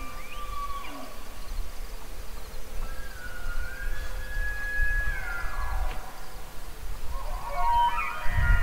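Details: Bugling elk gives a drawn-out whistled note that rises, holds level for about three seconds and then slides down, with a brief higher whistle at the start and a rough burst at the end; steady wind rumble underneath.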